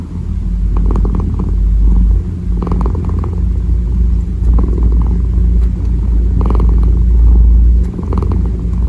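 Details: Loud close-up purr of a kneading kitten, a heavy throbbing low hum with rhythmic soft rustles from the paws recurring every second or two.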